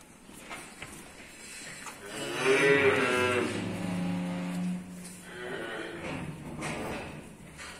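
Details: Simmental cattle at calf suckling time in Çiçekliköyü, Saraykent, Yozgat: one drawn-out, deep moo swelling and then fading over about three seconds, with low shuffling noises and faint voices in the background.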